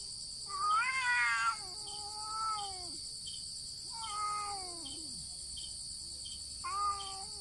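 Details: Pair of cats in a standoff fight, no contact, only vocalising: a loud wavering yowl, then shorter bending wails and a low sliding growl, spaced every couple of seconds against faint background hiss.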